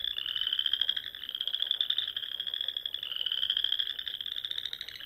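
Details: Frogs singing at dusk in spring among the rolling dunes of Nebraska's Sandhills, near small lakes and ponds; a dense, continuous high trilling chorus with overlapping pulsed trills that rise slightly and swell every second or two.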